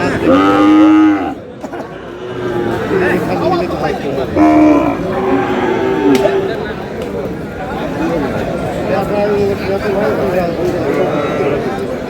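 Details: Sahiwal bull calf at a busy cattle market in Cumilla, Bangladesh, giving a loud drawn-out moo of about a second, then a second shorter moo, over steady crowd chatter and bargaining voices.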